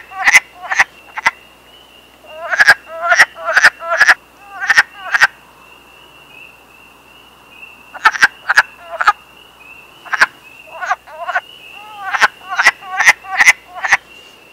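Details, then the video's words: Breeding-season chorus of wild wood frogs in Canada: rapid, duck-like clucking croaks in quick bursts of four to six, a brief pause midway, then more bursts, over a continuous high thin whine. "Breeding season of the Wood Frog"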